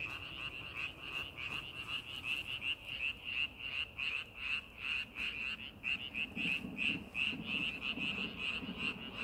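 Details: Frogs calling in a rice paddy being readied for farming: a dense chorus of short, bright croaks pulsing about two and a half times per second, steady throughout, with a low rumbling murmur rising underneath near the end.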